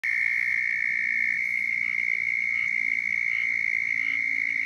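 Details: A squirrel tree frog in Florida gives its mating call, a steady, raspy, high-pitched trill that runs unbroken through the night air.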